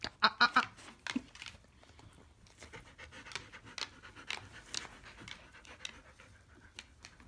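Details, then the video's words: Loki, a 3-month-old male Siberian Husky puppy rescued from a puppy mill, on his third day at home, trying to play fight with Lightning, an older black Labrador; a few short, loud, rough vocal bursts open the recording, then soft panting and rustling follow. "Loki, Siberian Husky Puppy, wanting to play fight with Lightning, Black Lab"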